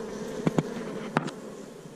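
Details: Colony of Asian honey bees in a cavity beneath a hut, disturbed by digging: a continuous low hum of wingbeats with a few loud knocks from the digging work.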